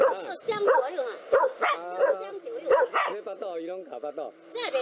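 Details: Sharp barks and yelps from two black dogs attacking a cobra come roughly once a second in uneven clusters. Other voices sound in the gaps.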